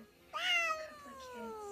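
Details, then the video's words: Domestic cat giving a single meow that rises quickly then slides slowly downward, harmonic and drawn out over about a second and a half, in a quiet indoor setting. "CATS TALKING"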